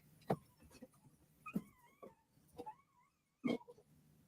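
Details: An 11-year-old pet Cocker Spaniel whines and yelps in wavering, rising cries, hollering and screaming with excitement as someone arrives home, which she does every time.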